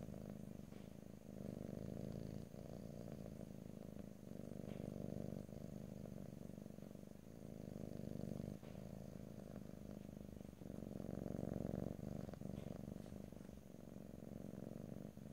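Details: Domestic cat purring steadily in stereo, a continuous low rumbling drone with fine rapid pulsing, swelling and easing in cycles of a few seconds as the cat breathes in and out; no talking.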